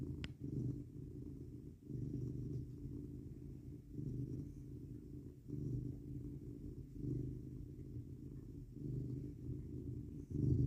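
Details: Pet cat leaning against its owner in bed on a 19 degrees F night, purring; deep continuous rumble swelling and fading with each breath, about every two seconds, a faint rustle at the end.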